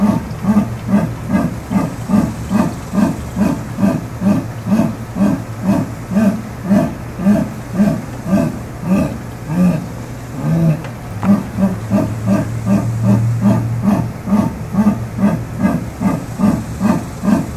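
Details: Jaguar calling with rhythmic, rasping grunts, each hoarse pulse repeated roughly twice a second in a steady unbroken series, with a brief stumble midway, over a low steady hum.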